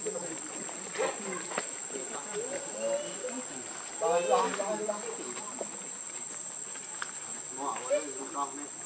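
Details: Monkey Rainbow, very angry while protecting Lucie from Kachoy: scattered short harmonic squeals and chatter, a louder burst around four seconds, over a steady high cricket drone.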